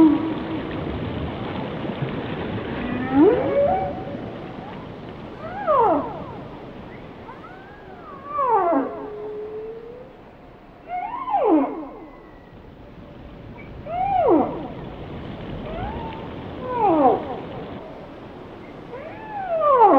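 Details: Repeated whale song phrases, each a sharp downward-sweeping cry with harmonics, arriving roughly every two to three seconds across twenty seconds, over quiet steady ocean hiss.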